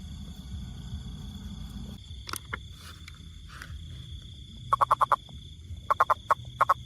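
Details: Toad calling in the second half as short groups of rapid, clicking pulses repeated in quick bursts, after a quieter start with faint scattered sounds over a steady low rumble and a constant high hiss.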